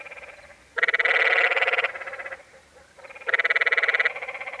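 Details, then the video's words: At Zion National Park's Many Pools Trail in Utah, a canyon tree frog gives two loud, rapidly pulsed, buzzy bleats about a second long, separated by quieter calls from another frog. "Sounds of The Canyon Tree Frog"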